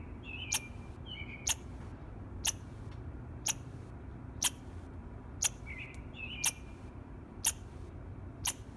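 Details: Squirrel chirping in the morning: sharp, clicking chirps repeated evenly about once a second, nine in all, with faint higher twittering notes and a low background rumble.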